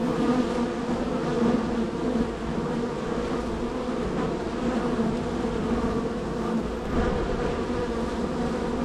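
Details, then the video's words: Busy honey bee colony at hive #3, workers coming and going: continuous buzzing drone, even in loudness, rich in low stacked tones with faint flickers of individual passing bees. "Honey Bee Hive #3"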